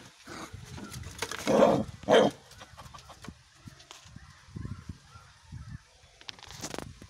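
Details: Angry little puppy shut in a cage for the first time, barking at a big dog: two loud harsh barks half a second apart, followed by softer scuffling and low thuds in a room.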